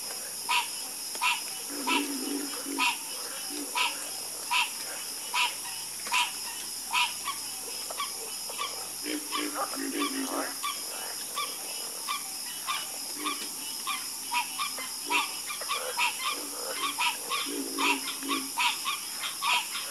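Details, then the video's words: Many frogs croak together in a dense chorus, with low rattling croaks in bursts every few seconds and frequent sharp clicks, all over a constant high-pitched background drone. "Calming Sound Of Harmonious Frog Croaking"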